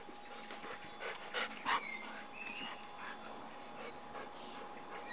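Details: Bernese Mountain Dogs at play: soft whimpers and a couple of short, whiny yelps over a constant background hum, with faint panting.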